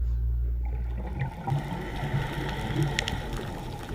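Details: A male toadfish (Batrachoididae), which broods eggs in its mouth, gives a deep, steady, buzzing hum to keep the female near and warn off hostile rival males.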